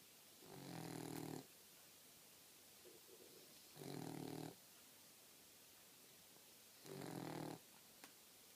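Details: Fast-asleep four-month-old female Boxer puppy snoring in three coarse, buzzy breaths about every three seconds, with a faint short sound between two of them and a soft click near the end.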